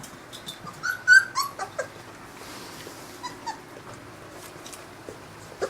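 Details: Newfoundland puppies, 22 days old, taking their first meal of formula from a dish with their mother present; high thin whimpers and squeaks around one second in, followed by scattered softer squeals, lapping and clicking sounds indoors.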